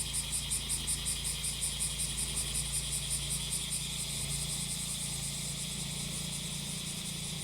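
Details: Cicada chorus heard while grass is cut by a brush cutter: shrill, pulsing buzz that throbs rhythmically for about four seconds, then smooths into an even hiss, with a droning engine underneath.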